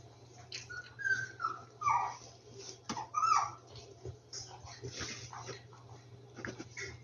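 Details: Rescued dogs whimper in a series of thin, high whines that rise and fall, several short whimpers in the first few seconds, then softer shuffling and rustling sounds indoors.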